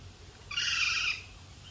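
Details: Guinea pigs kept at Bunbury Animal Park in Australia; a single high, squealing whistle lasting just over half a second, bright and steady in pitch, against a quiet background.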